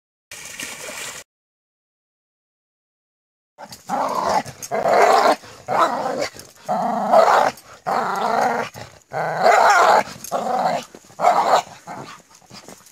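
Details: A Korean Jindo in a rural Korean village, playing with its mate and daughter in a snowy backyard, gives rough, throaty growls mixed with short yips in quick bursts.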